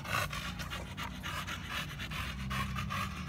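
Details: Exercising at the gym, Samson the American Bully breathes in fast, regular breathy pants, each a soft hiss, over a continuous low hum.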